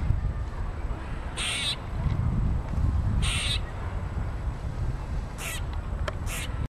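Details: Squirrel, angry at being filmed, lets out a few spaced, raspy chucks, one near the end in a quick pair, over constant low background rumble.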